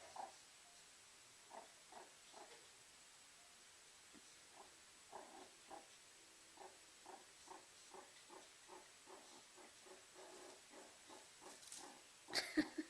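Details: A meerkat warming itself by a fireplace indoors gives soft, short grunting chirps repeated irregularly every second or so, quiet and close, ending in a brief louder burst of rustling.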